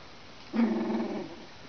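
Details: Two-week-old Alaskan Malamute puppies, a litter of four (one female, three males) born November 17th in Finland; one short harmonic whine lasting under a second, steady and fairly low, against a quiet room.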